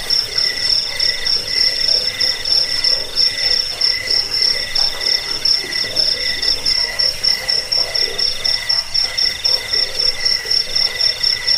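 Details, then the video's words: Crickets chirping for a rat-repelling, sleep-inducing and bird-training recording: rapid high pulsed trills in rhythmic bursts, several insects overlapping at different pitches. "suara jangkik"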